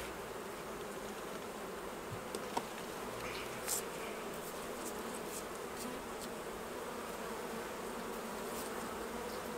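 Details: Honey bees at their hives while honey is taken off during a beekeeping harvest; a steady, low droning hum with a faint higher overtone runs throughout, broken by scattered clicks and taps of the work.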